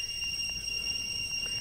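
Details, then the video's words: A jungle variety of cricket beside the road through Mawlynnong village, Meghalaya, gives an intense, ear-piercing sound. It is heard as a steady, thin, pure high whine held without a break, with soft rustling beneath. "জঙ্গলের ঝিঝি পোকার আওয়াজ নিশ্চয়ই শুনতে পাচ্ছেন।"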